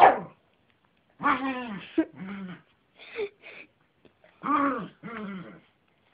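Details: Yorkshire terrier giving drawn-out, whiny barks with a wavering tone, in three pairs of calls separated by short pauses, with a few quiet sounds in between.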